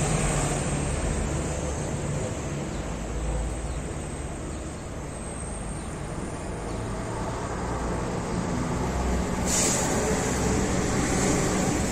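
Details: Continuous roadway noise in a Moroccan city, with vehicles rumbling past and a hiss like an air brake late on, and no cat or other animal heard.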